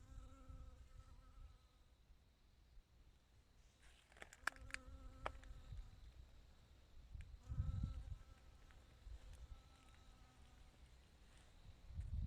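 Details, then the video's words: Bee collecting nectar and pollen: a steady droning buzz that comes and goes in several bursts, with low rumbling noise and a few clicks in between. "The sound of a bee collecting nectar and pollen"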